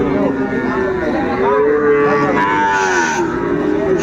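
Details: Sahiwal bull calves lowing at the Ambari cattle market in Faridpur on Monday, 29 April 2024, as farmers buy them: drawn-out, harmonic moos that rise and fall, one long call near the middle, over steady crowd chatter and background music.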